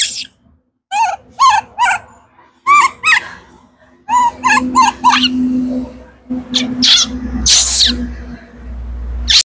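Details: Kaka, a baby monkey screaming from hunger for fruit, repeats short warbling squeals in clusters over a low steady hum, ending with raspy, noisy shrieks.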